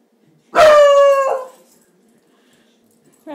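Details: A dog at play in a household with pets named Bowser and Roxy gives one loud, tonal, drawn-out whining cry lasting about a second, steady in pitch with rich overtones, then fades; the room is otherwise quiet.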